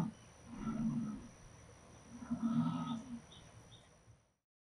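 A jaguar gives two deep, rasping, grunting roars about two seconds apart, each lasting close to a second, with faint background hiss.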